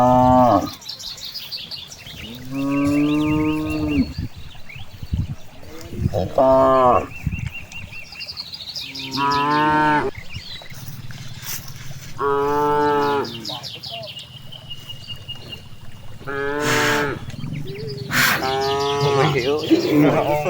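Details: Out in a large rice field, grazing cows give a long series of moos, roughly nine a minute, each a rich harmonic bellow lasting about a second, with distant chirping birds between calls.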